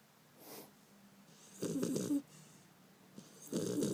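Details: Bender, a Beagle puppy, snores while sleeping, recorded 5 February 2012; rough, rasping snores with a noisy low rumble, two loud bursts about two seconds apart, quiet breathing between.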